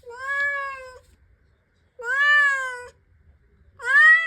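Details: A female cat that acts oddly and constantly wants to go outside gives long, drawn-out meows, each about a second, repeated with brief pauses.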